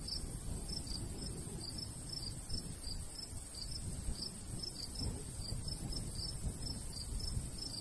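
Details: Summer countryside recording by a golden wheat field: crickets give short, shrill chirps in uneven pairs and runs, while a light breeze rumbles low and constant.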